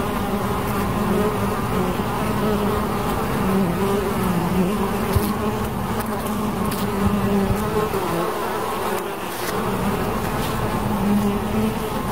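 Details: Bees buzzing in a dense, steady drone, a low hum with stacked overtones that waver slightly in pitch as insects move about, continuous for the whole stretch with a few faint clicks.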